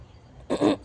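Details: A pet cat gives a single short, loud meow of about a quarter second, bright and harmonic, after a quiet stretch with faint background hum.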